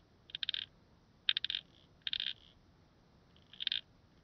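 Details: Calliptamus barbarus, a grasshopper, at Haut Asco, France, on 24 August 2023: four short bursts of high, scratchy stridulation, each a quick cluster of rasping pulses, spaced roughly a second apart over near silence.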